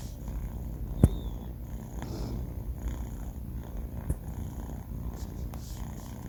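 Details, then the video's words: Four-month-old male house cat Banh Mi asleep and snoring, giving a continuous soft low-pitched rumble, broken by one sharp click early on and a few faint knocks later. "snoring cat | sleeping cat"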